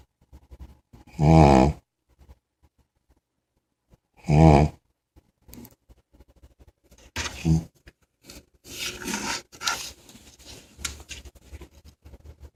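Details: A big puppy snoring in its sleep: two loud, rough, rattling snores about three seconds apart, followed by softer shuffling, snuffling noises.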